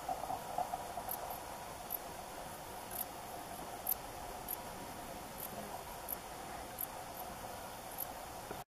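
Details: Grey bush-cricket stridulating: short, faint, very high hissy chirps repeated irregularly at roughly two per second over a steady low background hiss, with no other clear sounds.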